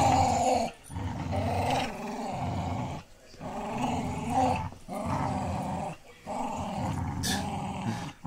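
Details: Tug game between Pit Bull Terrier Lucy and puppy Clyde, filmed on a phone in low light: about six rhythmic growling bouts, each around a second long, with a thin whining edge and short silent breaks between them.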